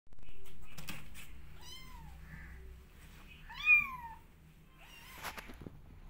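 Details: Kittens meowing to go outside and explore: three short high meows, each rising then falling in pitch, spaced about one and a half seconds apart in a small quiet room, with faint rustling.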